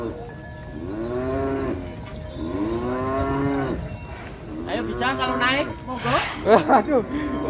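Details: Cattle being unloaded from a truck into a pen in Indonesia utter a series of mid-pitched moos, each swelling and falling, overlapping as several animals call, with rattling and clattering noises toward the end.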